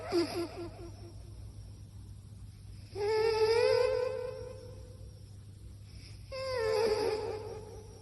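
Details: A cat snoring in its sleep: a few faint pulses at first, then two drawn-out, wobbling whiny tones about three seconds apart, with a soft background hum.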